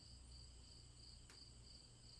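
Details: Steady high cricket chirping in several layered trills, gently pulsing, with one brief sharp click midway and a low hum underneath.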